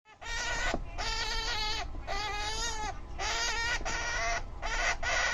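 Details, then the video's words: Angry Syrian hamster screaming: six loud, harsh, harmonic-rich squeals, each lasting about half a second to a second, separated by brief gaps, with a steady low background rumble. "Screaming Hamster | Syrian Hamster making Angry Noise"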